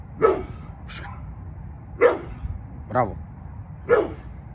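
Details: Yard-guarding pit bull Bullet, almost eleven years old, gives a run of sharp barks about once a second, mixed with a person's voice.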